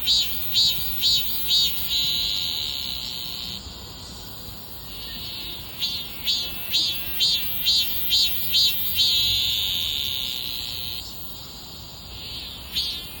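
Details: Cicada calling in pulsed phrases: bursts of high buzzing repeated about twice a second, alternating with long sustained droning stretches, then another run of rhythmic pulses.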